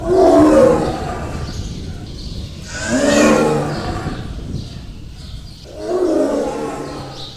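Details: Roaring Bengal tiger, Sundarbans mangrove forest, India: three long, deep, moaning roars spaced about three seconds apart, each swelling then fading, with quieter rumbling between them.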